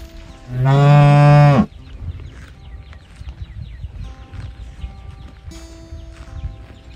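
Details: A calf looking for its mother gives one deep, full moo of about one second, strong and low. Afterward only quiet background with faint steady tones is heard.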